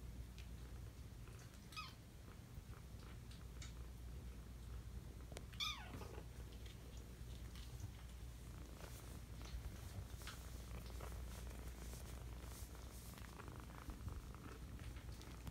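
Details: Five-week-old kittens: two short, high, downward-sliding meows near the two- and six-second marks rise over a steady low rumbling purr, with soft rustling and handling noise throughout.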